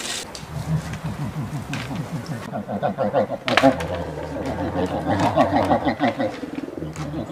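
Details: American black bear gives low, rapidly pulsing grunts with a few harsh, breathy huffs.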